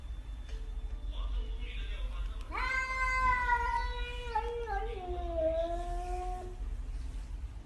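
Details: Pet cat letting out a single drawn-out meow that starts sharply, holds steady, then slides downward in pitch over about four seconds, with a low background rumble throughout.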